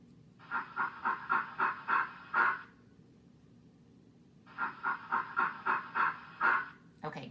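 A gorilla gives two bursts of rhythmic, breathy panting grunts, each about eight pulses long.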